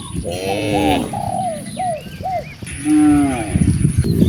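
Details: Cows in a herd of dozens roaming freely in nature, with two drawn-out harmonic moos, one early and one late, and short arched calls in between over a rough outdoor background.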